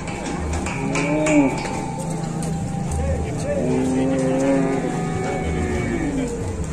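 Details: Cattle arriving at an Indonesian livestock farm, lowing in deep, drawn-out moos with curving tones, several overlapping across the clip, over steady engine rumble and men talking casually nearby.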